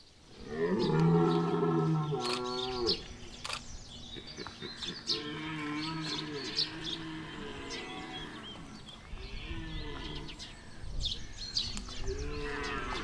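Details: Rutting red deer bellowing at Chambord, France, September 2021: a long, deep harmonic roar followed by broken, throaty groans and grunts in quick succession, with faint birds and crackling in the background.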